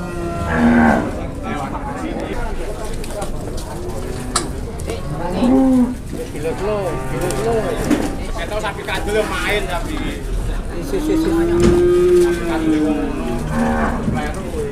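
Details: Amid a busy crowd at a cattle sale in Indonesia, short low moos break out, spaced several seconds apart, followed by a longer, arching moo. Constant voices of onlookers and bargaining fill the background.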